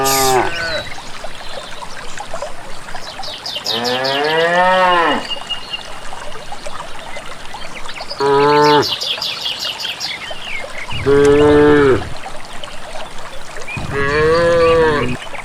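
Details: Village cows moving calmly toward pasture without a herder, giving five moos spaced a few seconds apart, one long arching call and several shorter steady ones, with birdsong twittering between them.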